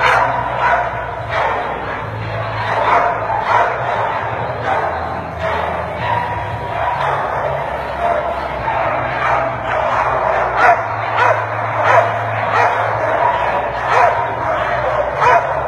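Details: At a dog show, an American Pit Bull Terrier gives repeated short barks, loosely spaced a little under one per second, half-buried in continuous crowd talk and indoor echo.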